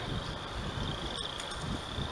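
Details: Spring peepers form a steady, high-pitched chorus of peeps under heavy, low, rumbling wind in spring, on rural property near a pond, with wild turkeys calling around during what the owner thinks is mating season.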